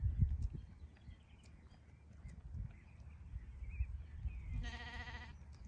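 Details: Sheep on a farm giving one short, harsh harmonic bleat near the end, over steady low wind rumble and faint background chirps.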